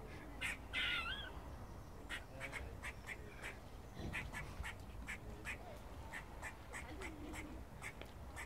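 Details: In Cambridge, a squirrel gives a rapid string of clipped percussive barks, about two per second, opening with a loud wavering nasal moan; faint low tonal notes sit underneath.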